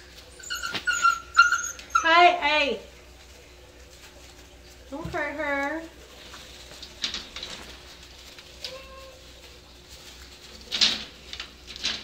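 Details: Playful dachshund-basset mix puppies, seven weeks old, inside a small room: short wavering whimpers that slide downward, then a second quick falling whine, mixed with a person's voice and light shuffling sounds.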